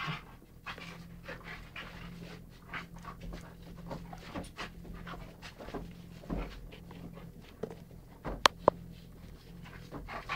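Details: Indoors on November 12th 2011, Beau the Rhodesian ridgeback and Ted the chocolate labrador romp together; steady soft panting runs throughout, with a low room hum and a couple of sharp taps near the end.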